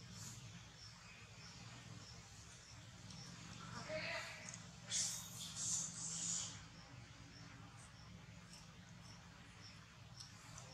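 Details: Hungry baby monkey named Bravin, refused milk, crying: a short burst of thin, high-pitched squealing cries midway through, rising and falling over about two seconds, then quiet again above a steady low indoor hum.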